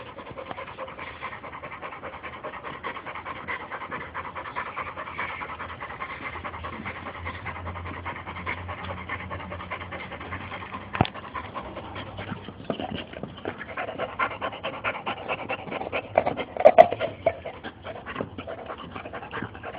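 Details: Panting from a female Boxer during play: quick, even breathy pulses repeated steadily for the whole span, with a few sharp knocks near the end.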